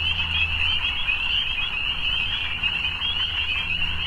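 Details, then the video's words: Evening frog chorus of steady, high overlapping trills, joined by a low droning hum that fades in and out, perhaps from a distant engine. "Evening Frogs"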